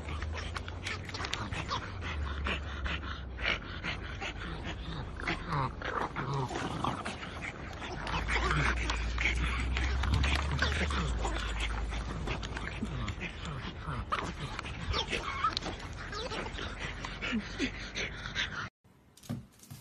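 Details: Playful French bulldog puppies panting and whimpering, with rapid scrabbling noises and scattered yelps over a steady low hum, a few human voices mixed in, then a sudden cut to near silence at the end.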